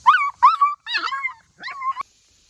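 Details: Puppies playing in a creek give four high, whining whimpers and yips, each sliding up then down, in quick succession over two and a half seconds.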